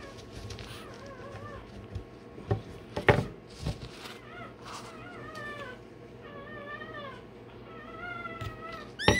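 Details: Newborn Rottweiler puppy, one day old, squealing while its tail and dewclaws are done. It gives a run of arched, wavering whimpers, broken by several sharp knocks and thumps of handling.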